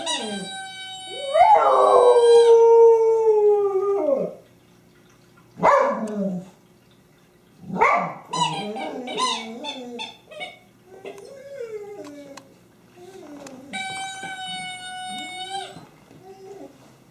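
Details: Honey, a pet dog, howls alongside her favorite squeaky toy, 24 January 2012: a long wavering howl opens, then bursts of squeaky toy squeals and shorter yelping howls, with a final sustained toy tone.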